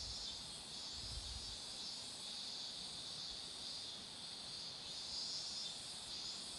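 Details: Cicadas by a roadside lined with flowering marigolds, their unbroken high electric drone filling the whole stretch and swelling slightly near the end, with only a brief low rumble early on.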